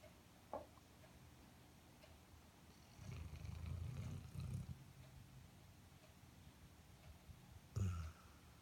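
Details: Snoring Airedale Terrier asleep: one low, purring rumble lasting about a second and a half in the middle, a short sharp snort near the end, and quiet breathing pauses between.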